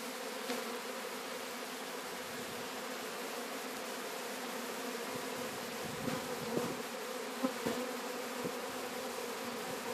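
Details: Swarm of Sicilian honey bees being captured at Sciacca, Sicily: a dense, steady buzzing hum banded around its low pitch, continuous throughout with a few soft knocks and clicks.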